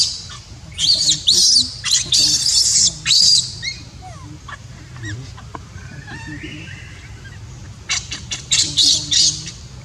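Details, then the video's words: A baby monkey left uncared for by its mother cries in repeated piercing, raspy shrieks, grouped in clusters at the start and again near the end, with quieter scattered chirps between over steady low background noise. "Poor baby monkey cries when Mom Monkey does not want to take care."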